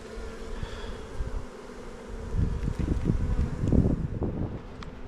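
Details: Kept honey bees on Jirisan, South Korea, on a bad-weather day while a beekeeper inspects the hive's egg-laying frames: a steady low hum with a higher overtone, broken by rustling, handling knocks and breezy noise.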